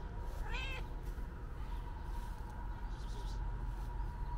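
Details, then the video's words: Calico cat giving one short loud meow early on, seemingly trying to tell its owner something, followed by steady low rumbling noise and a faint hum. "Calico Cat Meowing Loudly Wants To Tell Me Something"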